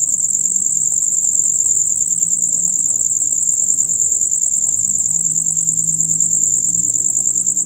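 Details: Chorus of male crickets, the usual sound from dusk until dawn: a steady, very high, rapidly pulsing chirp running unbroken, above a faint low hum.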